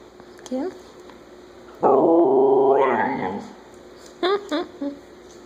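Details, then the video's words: Chula, a pet Siberian Husky, burping and "saying hola" indoors: one loud, drawn-out, moaning vocalization with rich harmonics, lasting about a second and a half and rising at the end, framed by a few brief, softer sounds before and after. "Chula burping and saying "hola""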